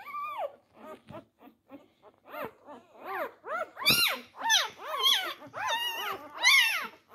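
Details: Litter of Labrador Retriever puppies, four days old, squabbling over teats; rapid arched squeaks come about every half second, building from soft to louder, shriller yelps toward the end.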